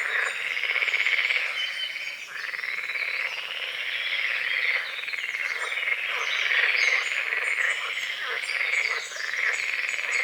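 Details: Frogs at dawn on a small lake on the forest's edge, morning fog over water lilies and calamus; an unbroken, dense trilling croak chorus with uneven pulses and overlapping voices, faint bird twitters in the background.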